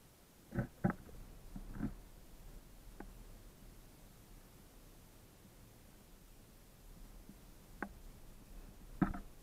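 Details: Raccoon, described as a masked intruder, giving short low grunting bursts in clusters near the start and again toward the end, with quiet gaps and a faint steady background between them.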